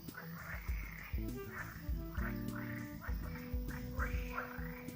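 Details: Several green frogs call from a pond in a forest, giving short, rattling, nasal croaks in quick bursts every half second or so, over a low hum and faint music.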